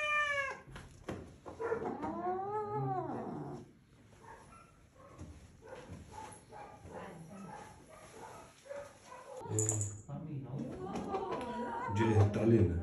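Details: Angry cat yowling indoors: a short call opens, then a long arching wail that rises and falls with rich harmonics, followed by quieter rumbling sounds and another ragged yowl near the end.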